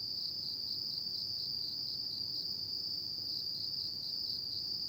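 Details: Autumn night insect song: a bright constant trill, rapidly pulsing, holding one high pitch throughout over soft low ambient noise.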